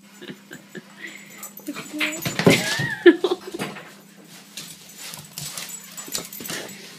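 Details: A dog barking at balloons gives short, high yips and whiny, wavering yelps over a steady low electrical hum.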